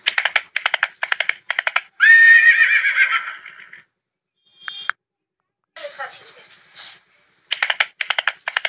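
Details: Horse neighing: bursts of rapid, rattling pulses, then a long, loud, shrill whinny that fades over almost two seconds, followed by quieter broken calls and another run of pulsed bursts.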